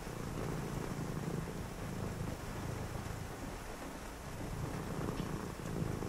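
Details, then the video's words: A cat purrs on a rainy night while someone reads nearby: a deep, continuous rumble swelling and easing with each breath, partly masked by steady rainfall. "a purring cat"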